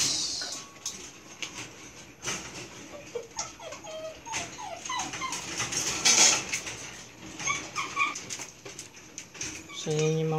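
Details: Belgian Malinois puppies at milk feeding time, whimpering and yipping in scattered bursts of short, high, wavering whines. A lower, louder whine comes near the end. A man talks in Filipino throughout, with background clatter.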